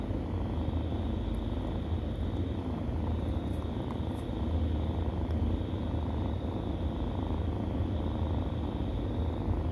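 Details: Nursing kittens give off an unbroken low purr, even in loudness throughout, with a few soft ticks and rustles overhead.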